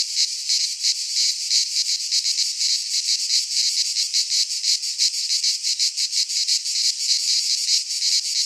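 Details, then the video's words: Greek cicadas in a pine forest during midsummer produce an unbroken high-pitched sizzling drone, rapidly pulsing around three times per second, loud and steady across the recording. "Cicadas singing in midsummer - Nature sounds from the Greek fauna - Sounds of cicadas"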